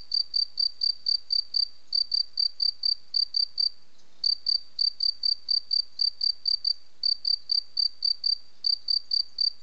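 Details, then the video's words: A cricket singing: loud, high, pure chirps repeated about four times a second in steady runs, with one brief pause near the middle; no other sounds. "Grillon qui chante"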